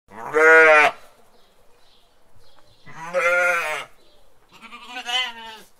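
A sheep gives three drawn-out, wavering bleats, each lasting about a second, separated by short pauses.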